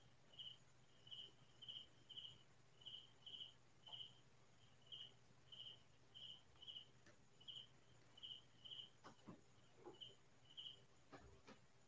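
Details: A cricket calling at night in quiet farmland, with clean, high, two-pulse chirps repeated roughly twice a second. A few faint clicks sound near the end.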